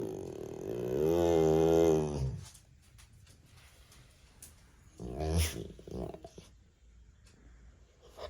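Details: American Bully dog making funny aggressive sounds indoors: a long rising-and-falling harmonic growling moan lasting about two seconds, then a shorter grumbling burst near five seconds amid clatter.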